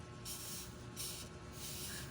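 A female rhinoceros beetle gives repeated breathy hissing bursts, each about half a second long.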